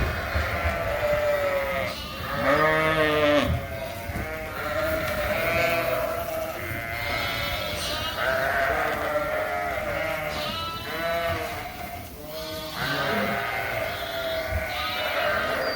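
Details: A barn full of mixed Suffolk lambs, running loose after a gate was left open, calling in loud overlapping bleats, some long and wavering, others short and rising, crowding one another throughout.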